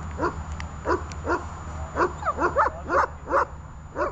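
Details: A dog named Runa practises holding and barking during training, sending out sharp, mid-pitched barks spaced unevenly, clustering faster toward the end, with a low steady hum underneath.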